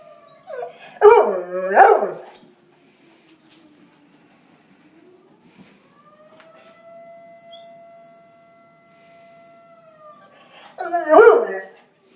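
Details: Bernese Mountain Dog howling at a fire alarm: two wavering, rising-and-falling harmonic howls near the start, a steady flat electronic alarm tone in the middle, then another short howl burst at the end.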